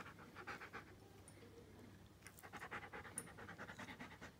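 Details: Giant schnauzer aged one year five months, panting in quick rhythmic breathy bursts, steady throughout with a short pause near the middle.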